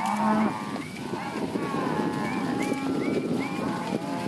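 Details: Herd of heifers and cows, mostly Angus and Red Angus with a few Jersey and crosses, for sale as a lot: one short low moo at the start, then a busy murmur with small repeated chirps above.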